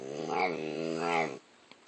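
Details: A dog making a funny, weird noise: a drawn-out, harmonic growling groan in two swells, lasting under a second and a half, then near silence with faint clicks.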